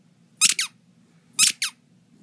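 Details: Edgar, a puppy sounding squirrel-like, gives two pairs of sharp, high-pitched squeaks that slide downward, each pair a quick double note, the pairs about one second apart, with a faint low hum behind.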